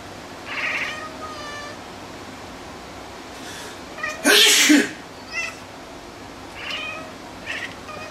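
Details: Pet cat meowing in reaction to a human sneeze, a call it reliably gives after sneezes: a few short harmonic meows, then a loud sneeze midway, followed by three brief chirpy meows.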